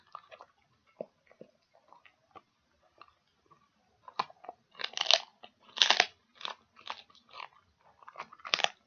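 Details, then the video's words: Dog crunching a pig ear indoors, starting with light ticking bites, then bursts of loud dry cracking and grinding that come rapidly, several per second, toward the end. "Dog Chewing Pig Ears"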